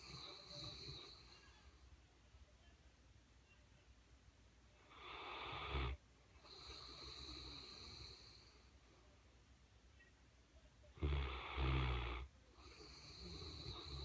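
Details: A sleeping Mastiff snoring: two loud, rasping, broadband snores, one near the middle and one toward the end, with quieter breathing between them and a faint background hum.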